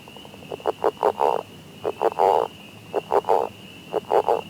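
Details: In spring in Ottawa County, Michigan, a frog gives low, grunting croaks in clusters of two to four, about once a second, over a steady high insect-like whine and background hiss.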